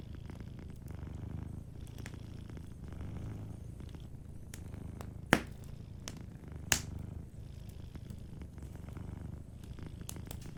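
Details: Gentle purr of a sleeping cat in front of a fireplace, a low rumble underneath irregular fire crackles, with two sharp pops standing out near 5.3 and 6.7 seconds.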